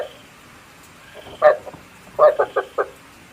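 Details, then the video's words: Frog calls used as a decoy sound for night trapping with a bagua trap: a lone croak, a pause, then a quick series of four short, hoarse croaks over a quiet background. "Tiếng ếch mồi chuẩn 99,99% cho ae bẫy đêm tham khảo"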